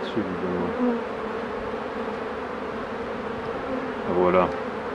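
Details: Hive of honey bees being worked by a beekeeper, giving an even, unbroken swarm hum throughout, with a short burst of French speech at the start and another near the end.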